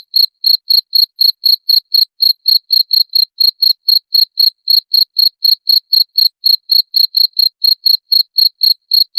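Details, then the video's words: Continuous cricket chirping used as a rat repellent: bright, high-pitched pulses repeated steadily around four times per second with no pauses and no background noise. "SUARA JANGKRIK PENGUSIR TIKUS"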